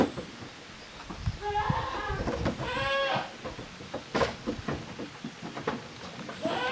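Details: Goat kids, offspring of Koharu and Okayu, playing as two teams in the Yoshigake handmade goat farm yard on 13 June 2023; two overlapping tremulous bleats in the middle, amid rustling, knocks and a sharp bang.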